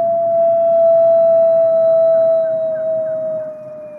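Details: A captive-born gray wolf at the Wolf Conservation Center in South Salem, NY, holds a long, steady, mid-pitched howl that sags slightly in pitch at the end, prompting many other wolves to howl.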